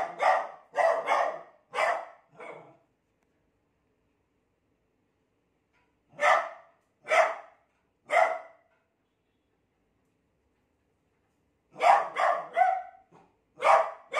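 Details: Beagle puppy frightened of a new cot, barking indoors in clusters of three or four short, sharp woofs with several seconds of silence between clusters.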